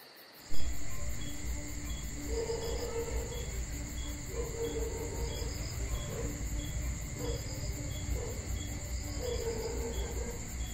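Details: Crickets on a summer night in Georgia keep up a steady high, pulsing trill throughout, over a heavy low rumble with soft, repeated mid-pitched blips.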